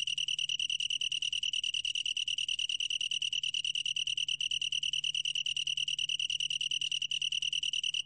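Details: A long-tailed tree cricket's song, a sustained bright high-pitched trill of fast regular pulses that holds steady from start to end, with a quiet low-frequency hum behind it.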